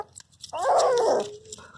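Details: Hash, a Labrador Retriever puppy, during its first bath: one drawn-out wavering whine of about 0.7 seconds, rich in harmonics, that slides down into a thin fading tail, with people chatting in Telugu around it.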